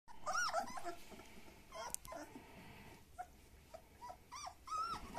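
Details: Black old-type German Shepherd puppies, males and females, standard and long-coated, born 26 July 2021, give high, arching whines and yelps in quick, uneven succession.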